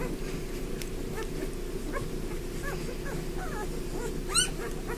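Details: Five-day-old Bernese Mountain Dog puppies from a litter of eleven at lunchtime: scattered short, high, arched squeaks and whines over a steady low rustling, shuffling background, with a brief sharper cry near the end.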